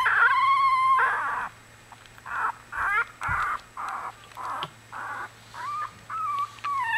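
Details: Litter of one-week-old Australian Bulldog puppies whimpering: a long harmonic whine, then a run of short, regularly spaced squeaky cries about two per second, ending in higher wavering whines; steady low hum beneath.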